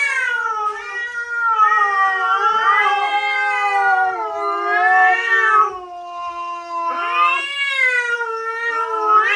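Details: Cats yowl in a territorial confrontation after a dangerous cat appears. The domestic cat gives long, drawn-out, wavering wails that rise and sag in pitch with barely a break between them.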